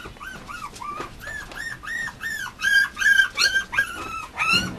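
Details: Whining male Mame Shiba puppy at a breeder: repeated short, arched high whimpers, roughly three per second, growing louder and sharper toward the end, over a low hum.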